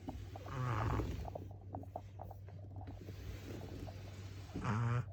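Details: A sleeping dog snoring: two loud rasping, throaty snores about four seconds apart, with soft clicks and breathing between them and a steady low hum in the background.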